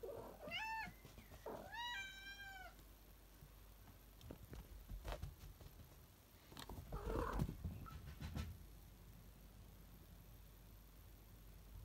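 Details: House cat uttering two short meows, the first falling in pitch and the second level and slightly longer. Soft bumps and rustling follow, with a low hum underneath.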